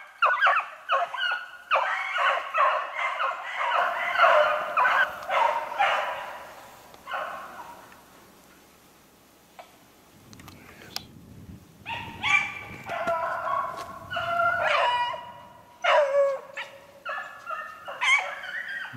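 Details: Beagles on a snowshoe hare hunt, 3/8/16: dense overlapping baying fills the opening seconds, fades into a stretch of low rumbling background, then returns as scattered repeated bark bursts toward the end.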